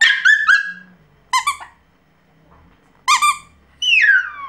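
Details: Pomeranian puppy giving a few separate high squeaky bursts: a quick double yelp, two pulsed squeals, then a long bright falling whine, with faint low room rumble between.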